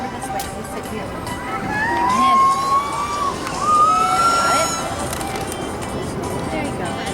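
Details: Killer whale calls, drawn-out squeaky tones sliding upward, played over a loudspeaker amid crowd murmur at a SeaWorld San Diego show in July 2016 explaining that each pod has its own dialect of calls.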